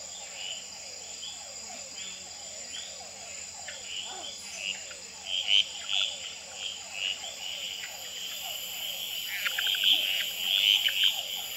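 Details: Male red-eyed treefrogs calling, tremulating and fighting on a potted plant at the Experimental Pond in Gamboa, filmed in infrared with a Sony Nightshot. Short bright chack notes burst out, loudest near the middle and end, over a dense chorus of rapid downward-sweeping notes from hourglass treefrogs and other species.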